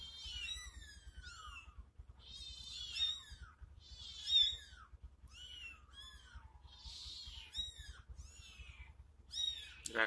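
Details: A mother cat reacts to her kittens being disturbed: high, thin kitten mews tumble over one another and fall in pitch, and her lower adult meow answers.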